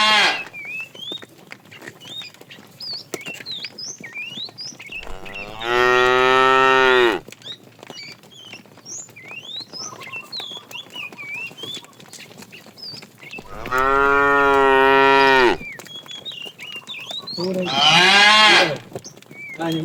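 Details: A fat cow calling the female while a herd of tame cows is driven along in the afternoon: three long, loud, steady moos spaced several seconds apart, with constant bird chirps and twitters throughout.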